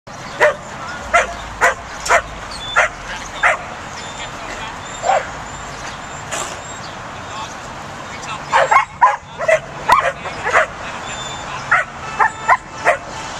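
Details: Pembroke Welsh Corgi puppy herding, giving short sharp barks in bursts, about a dozen spread across the stretch with a tight cluster near the end, over steady background hiss and some faint speech.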